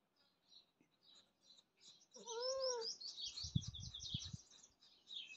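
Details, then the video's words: A pet cat gives one drawn-out meow, rising and then falling, lasting about half a second. Quick high bird chirps run through much of the clip, and a few dull low thumps follow. "Our Pet Cat Meowing"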